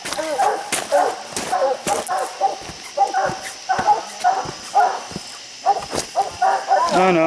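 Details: Hounds baying at raccoons treed on a steep, slick hillside, six raccoons counted; dense, overlapping barks in rapid bursts, with footsteps, snapping twigs and occasional human voices.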